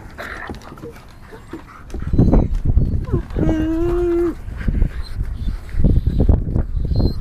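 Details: Black and tan American Tundra Shepherd puppies, 9 1/2 weeks old, teething together. Soft scuffles lead into rough growling, then one long, steady, howling whine of nearly a second, followed by more growls.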